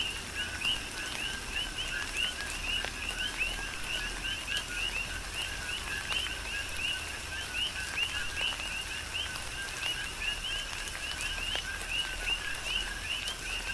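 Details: Coqui frogs calling in a tropical rain shower on the Big Island of Hawaii; dense overlapping chorus of short two-note chirps, a lower tone near constant and a rising upper note repeating rapidly, with steady rain patter and drips.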